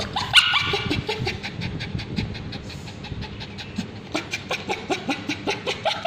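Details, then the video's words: Male Bichon Frise dog with scabies screaming while a babysitter applies ointment to his tail; one sharp high yelp, then quick rhythmic gasping, screeching pulses, roughly three per second, growing steadier toward the end. "Male Bichon Frise Dog Screaming when babysitter applying ointment"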